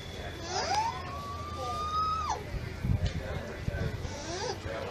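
An alpaca gives a thin, tonal whine that rises, holds steady and then drops away abruptly.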